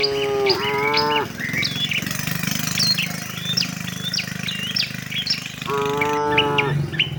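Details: A tame herd of cattle walking to their shed. Two full, steady moos, one at the start and another near the end, each under a second long, with continuous high bird twittering and chirping between them.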